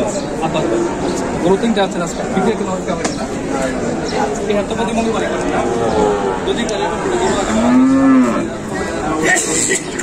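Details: At Batajor market in Bangladesh, bulls brought for the 2024 Qurbani, recorded on 26 March; one clear arched moo near the eighth second stands out over a dense babble of voices and trading noise.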